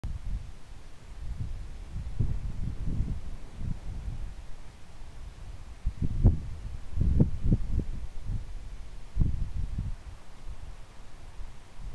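Only low rumbling thumps and handling noise are heard, with no animal calls.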